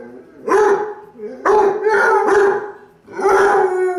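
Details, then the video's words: Deep, baying barks from a Basset Hound, three to four drawn-out woofs with a howling, mournful quality over four seconds. "SOM de LATIDO DE CÃES - ASSISTA COM SEU CÃO (Basset Hound)"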